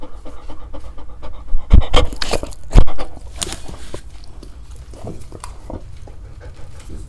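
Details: Dogs trying to eat various fruits, recorded close for ASMR: loud wet bursts of chewing and smacking early on, then quieter rhythmic breathy panting, roughly one pant per second, with licking and mouth noises throughout.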